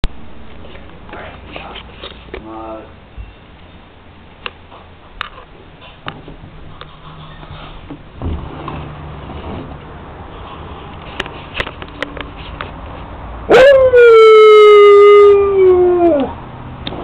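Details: Siberian Husky howling indoors; after quiet room noise, faint voices and a brief whine, one long loud howl starts high, dips, then holds a steady tone before sliding down and fading.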